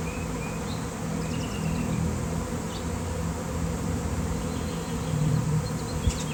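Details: Honeybee swarm of many thousands gathered by an electric line in nice weather, beekeeper present: continuous deep buzzing drone, swelling slightly around the middle, with a few faint bird chirps and a brief knock near the end.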